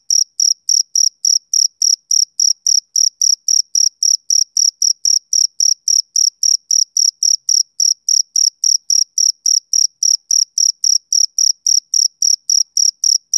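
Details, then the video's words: A male cricket keeps up a fast, regular chirp. High, clean, ringing pulses arrive about three to four per second and continue without a break over a perfectly quiet background. "Cricket Chirping Sound Effect"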